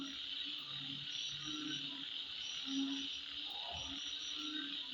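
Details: Insects calling at midnight: a steady, dense high buzzing chorus runs throughout, with short low hooting notes from another caller popping in every second or so and a few faint higher chirps.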